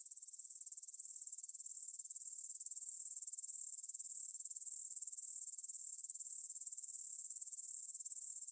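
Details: Grasshoppers stridulating in a meadow field near the Svensky monastery in Bryansk, Russia, at 9pm on 6 September 2020, recorded on a Tascam DR-44WL in stereo; a dense, high, rapidly pulsing hiss that swells in over the first seconds, then holds steady.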